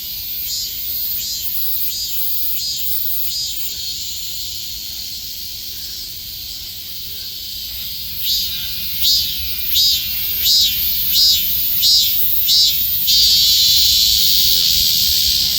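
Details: Robust cicada singing in summer: a loud, high, hissing drone holds steady at first, then breaks into a run of throbbing pulses about every two-thirds of a second before merging back into a continuous shrill buzz.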